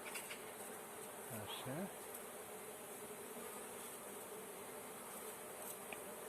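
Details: Swarm of honey bees being caught by beekeepers, giving a dense, continuous buzzing drone with a brief voice-like sweep near the start.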